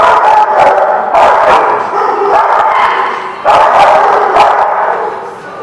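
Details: Several dogs barking on 21 March 2016, a dense, almost continuous run of loud barks and yips with a sharp fresh burst midway.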